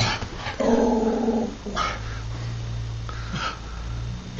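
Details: Patterdale Terrier reacting to the postman with a low rumbling growl and a short whine, otherwise quiet indoor background.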